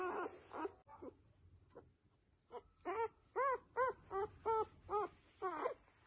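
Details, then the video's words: Newborn F1B Goldendoodle puppies make soft whimpers and squeals, first a few muffled whines, then a run of clear, arched, rising-falling squeaks repeated about twice per second in a quiet room. "F1B Golden-doodle Puppies adorable newborn sounds"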